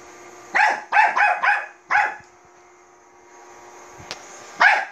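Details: A Bichon Frise barks at a robot vacuum cleaner, a quick run of high, sharp barks, then a pause and one more.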